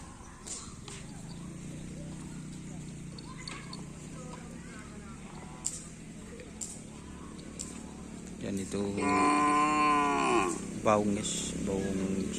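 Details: Cattle at a karapan sapi bull-racing training session with the teams Kalajengking, Griduh Onggu and Baong 99. After a stretch of low background murmur, a loud, drawn-out, rich-toned moo rises and falls, with voices around it.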